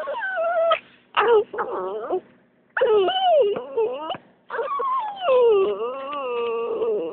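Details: Coton de Tulear dog whining: drawn-out, wavering tonal whimpers that bend up and down, in bursts of about one to two seconds separated by brief pauses, with a few sharper yelps mixed in.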